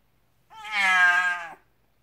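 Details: Domestic cat giving birth indoors, letting out a single clear, loud meow of about one second, harmonic and steady, rising slightly then falling away at the end, with a quiet room and no other sounds.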